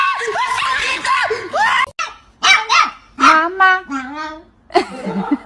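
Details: Pet dog in a funny compilation gives a run of short curving yips and drawn-out whining, yodel-like cries that rise and fall, broken by brief pauses, with a person's voice mixed in.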